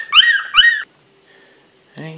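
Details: Bichon Frise x Yorkshire Terrier puppies, a litter of four at 19 days old on September 4th, eyes opened a couple of days earlier: two high, sharp squealing cries in quick succession, then a short silence and a lower, rougher voiced sound at the end.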